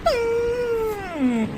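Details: Labrador Retriever dog, freshly bathed pet, giving a playful 'threat' vocalization: one drawn-out tonal moan of about one and a half seconds, starting higher, holding a steady pitch, then sliding smoothly downward, with rich harmonics and a quiet background.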